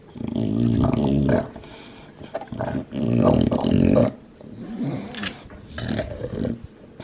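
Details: Lilac tri Olde English Bulldogge, a two-year-old male, enjoying his bone: long rumbling growls in low harmonic bands, each lasting a second or more, separated by quieter gnawing and wet chewing noises.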